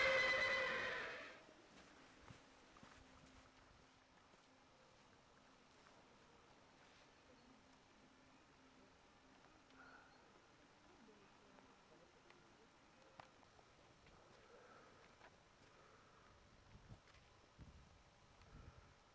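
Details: Arabian horse at a farm in Gkiona, Xanthi, Greece, giving one loud, high whinny with rich stacked tones and a quavering edge that lasts about a second and a half, then fades into quiet background with faint knocks.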